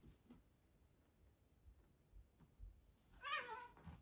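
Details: Two Siberian Forest kitten brothers wrestling indoors in a bathroom; after quiet soft thumps, a single short harmonic meow-like cry near the end, with faint bumping sounds around it.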